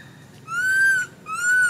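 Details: Little monkey crying without stopping when its mother does not care for it, giving two loud, pure, arched wailing cries in quick succession, each under a second long.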